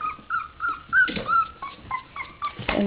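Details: Three-week-old puppies from Sofia's third litter, just starting to stay awake and play, give a run of short, high, wavering whines, each rising or falling slightly, repeated roughly every third of a second, with soft thumps between.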